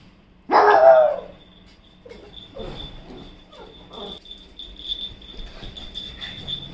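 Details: Toto, a pet pug, lets out a single loud, sharp bark with a falling tail. A person then speaks in Hindi about chicken over faint household sounds.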